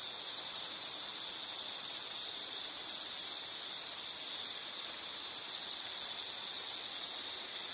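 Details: Steady high-pitched insect trilling from a calming nature soundscape, pulsing gently at just under two beats per second, unbroken throughout against a quiet hiss.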